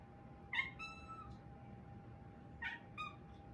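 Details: Four-month-old female Siberian kitten howls in a thin voice because she is hungry, two short rising-then-falling cries about two seconds apart with soft trailing notes, a constant low hum behind.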